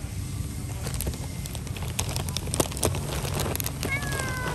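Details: Cat meowing while asking for food: after a stretch of clicks, rustling and low rumbling background noise, one short, falling, nasal meow comes near the end.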